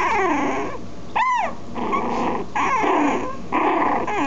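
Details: Several puppies whimpering and whining almost continuously, a sharp rising-and-falling yelp near the start followed by overlapping wavering cries in quick succession.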